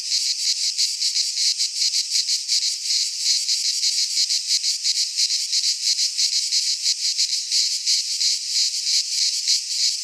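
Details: Greek pine-forest cicadas in midsummer, many insects blending into one steady shrill drone with rapid rhythmic throbbing throughout, no birds or people heard.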